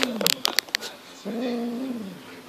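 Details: Six-month-old Highland Lynx cat indoors, instincts kicking in while playing with a fox tail: a drawn-out, low, moaning growl that wavers slightly in pitch for about a second, after a few sharp clicks and knocks.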